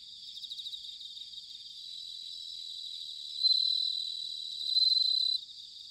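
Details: Bell crickets singing in autumn at Sanuki, Chiba, Japan: a steady high ringing chorus, then two louder, shimmering pulsed trills of about two seconds each stand out before fading back into the background hum.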